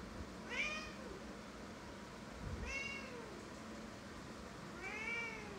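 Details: A domestic cat meows three times, about every two and a half seconds. Each meow is a bright, arched, falling cry over a low background rumble.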